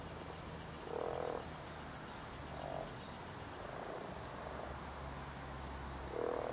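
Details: European common frog (Rana temporaria) in springtime, at spawn, giving a few short, low, grunting croaks in separate bursts a second or two apart, with quiet background hiss between calls.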